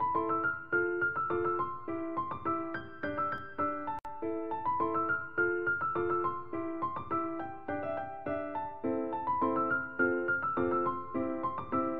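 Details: Bright repeated piano chords and melody play throughout, and no animal voice is heard.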